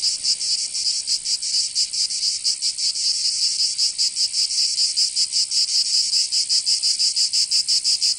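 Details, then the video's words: Cicadas singing in summer in Provence, southern France: a loud, high, rasping buzz that throbs in quick, uneven pulses without a break, with no other sounds. "Canto Cigarra"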